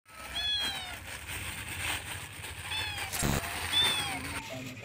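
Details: Kitten among stray cats in Jakarta, giving several thin, high meows with rising-falling harmonic contours near 0.5, 2.7 and 3.8 seconds, over steady background noise and music.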